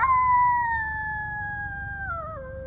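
A coyote gives a long, smooth howl that slowly falls in pitch.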